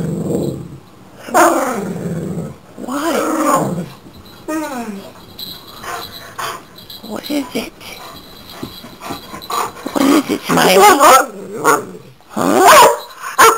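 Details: Chesapeake Bay Retriever named Dakota smiling on seeing his owners in the morning or when they get home, a greeting that makes him sneeze; wavering, harmonic moans and grumbles alternate with human voices and short snorts.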